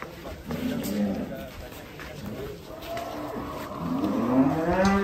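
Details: Belgian Blue contest cattle: a low lowing moo swells late in the clip, following quieter grunting tones, over crowd voices and background noise.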